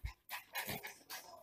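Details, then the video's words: Naughty Miniature Pinscher indoors at home, said to spend the day alone in a room messing up the house; quick breathy panting bursts after a low thump, with short pauses between puffs. "Naughty Dog Miniature Pinscher"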